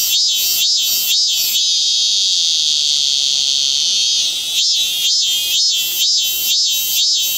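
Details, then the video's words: 참매미, the cicada Hyalessa maculaticollis, in full song: rhythmic shrill pulses roughly twice per second, then a sustained steady buzzing drone for nearly three seconds, before the pulsing beats resume. "Hyalessa maculaticollis/참매미"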